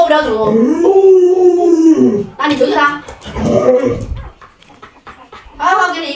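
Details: Luoluo, a household Alaskan Malamute, reacts to its owner pretending to cook a puppy with an arched, moaning howl that bends up and then down, followed by shorter yelping bursts and talk overlapping.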